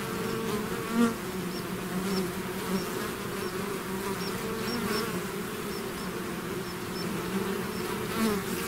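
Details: Swarming bees out of their hive produce a steady, rich buzz; individual bees swoop close at intervals, briefly louder over the continuous hum, with faint high ticks in the background.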